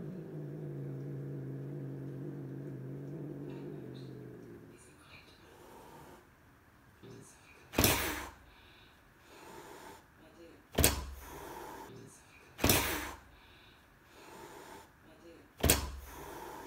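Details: Cat hissing through a sliding door at a raccoon entering by the cat door on a back patio while swatting at it: four sharp, breathy bursts of hiss spaced two to three seconds apart, after several seconds of low, steady murmuring indoors.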